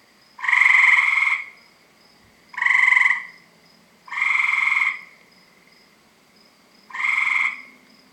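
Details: Several tree frogs around a house give loud, harsh, buzzy croaks, each about a second long and repeated every two seconds or so. The calling starts around 7 PM every night.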